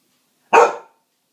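A Cocker Spaniel gives a single sharp, full-bodied bark that fades quickly.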